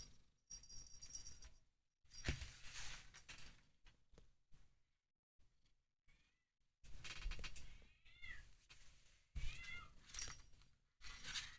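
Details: A blue point mitted Ragdoll kitten, 10 June 2022, gives a few thin, high mews amid rustling and handling noise.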